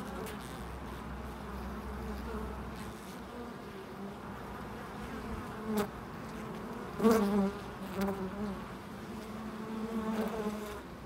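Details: Bees at a loading dock: a steady low buzzing drone throughout, with louder passes near six and seven seconds as insects fly close, wavering slightly in pitch over a faint mechanical hum.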